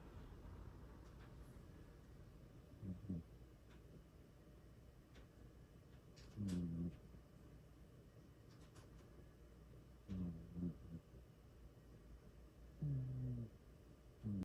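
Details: A sleeping cat snoring loudly: low, rumbling snores recur roughly every three to four seconds, each a short throaty burst, with quiet breathing between them in a still indoor room.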